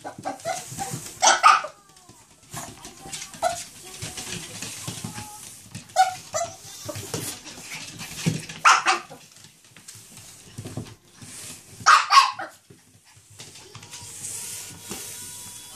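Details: Chihuahua named Choco, wildly excited by a Quickle Wiper floor wiper, lets out a few sharp barks spread across the clip, with quieter rustling and scraping sounds in between.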